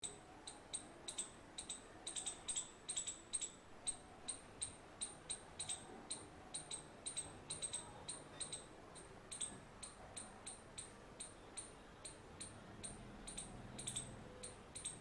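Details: A female Indian palm squirrel gives sharp, high chirps in quick, uneven bursts of several per second.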